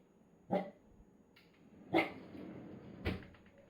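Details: Corgi barking indoors when the freezer compartment of a fridge is opened, but not the upper door; three short, sharp barks spaced about a second apart, fairly quiet against a low room hum.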